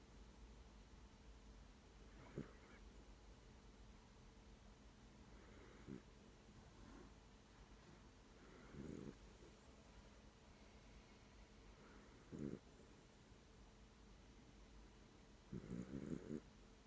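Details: Pet dog snoring while asleep, a few soft, low rasping breaths spaced several seconds apart, quiet against a faint steady background hum.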